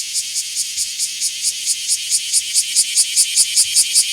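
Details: Small-park bear cicada recorded 24 July 2026: a strident pulsed buzz, each pulse sharp and about three per second, growing louder and more distinct toward the end.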